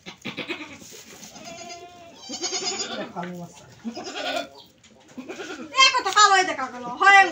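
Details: Goat bleating in short wavering, nasal cries with a shaky vibrato, the loudest near the end, mixed with people talking close by indoors.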